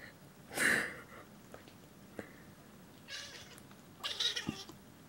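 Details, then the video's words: Alessandro, a pet cat, squealing in protest after being given ear medication: one loud, sharp, high squeal near the start, followed by faint rustling and handling noises. "Alessandro the squealing cat"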